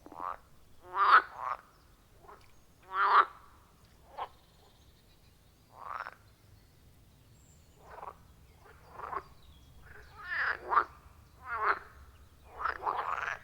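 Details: Chorus of frogs at a wild pond deep in forest: separate harsh, rasping croaks about every two seconds, some doubled, from several callers at varying distances, with a faint low hum beneath and no other sounds.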